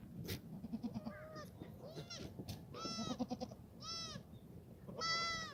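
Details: Foggy Friday morning, 29 March 2019, at a black goat farm exercise yard in Gimhae, South Korea; several goats give repeated wavering, nasal bleats roughly every second, overlapping with thumps and shuffling sounds from the yard.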